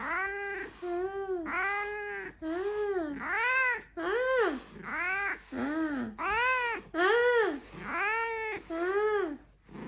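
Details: Kitten crying coquettishly indoors, about a dozen drawn-out, arching meows in close succession, each rising then falling, bright and insistent with strong overtones and short pauses between.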